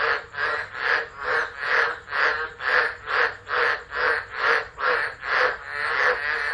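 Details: Frogs of the Northern Territory calling during a December tropical low at Driver, Australia, captured by an unattended phone; loud, regular pulsing croaks, roughly two per second, each a rasping throb rising and falling.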